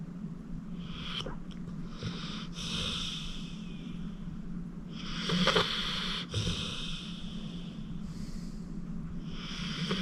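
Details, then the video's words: Acorn, a 14-year-old pit bull adopted from the Cuyahoga County Animal Shelter, asleep and snoring. Irregular wheezy snorts and breaths come in short bursts, one louder midway, with a constant low hum underneath. "Acorn Sleeping - Relax with a Snoring Senior Dog"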